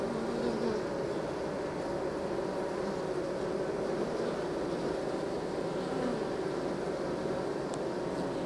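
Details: Honey bees during the transfer from nuc to hive, heard as a dense, continuous low drone of many bees with no pauses and almost no other sounds.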